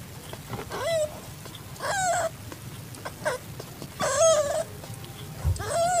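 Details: Calico tabby cat in heat, at home alongside a found calico kitten, 8 September 2021, 6:30 PM: four clear meows, each rising then sliding down into a drawn-out tone, spaced roughly a second apart over a low background rumble.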